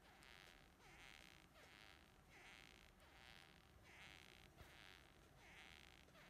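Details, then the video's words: Japanese beetle male during mating attempts, precursory sounds before and during mating; repeated broadband buzzing bursts about every 0.7 seconds, strongest in the upper-middle range, over a steady low background hum. "Beetle Japanese basic format mating video Beetle videos failing to mate"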